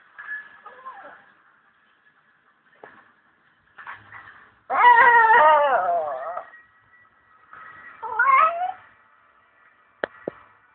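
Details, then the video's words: Pet Chihuahua "talking" indoors: drawn-out, wavering, whiny yowls, the loudest lasting about two seconds mid-clip, with shorter rising whines before and after, quiet pauses between, and a couple of sharp clicks near the end. "My talking Chihuahua"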